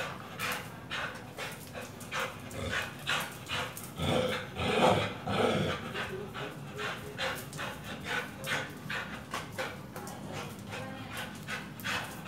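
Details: During training with a tyre, a Pit Bull pants heavily in fairly steady breathy puffs, roughly a hundred per minute. A louder, rougher breath swells in the middle.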